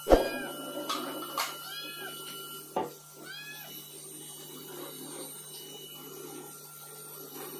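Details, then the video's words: Angry calico cat demanding food indoors. A few short rising-falling meows come around the first three seconds, with sharp knocks. A quieter meow follows later over a steady electrical hum. "Kucing Belang Tiga Marah Minta Makan"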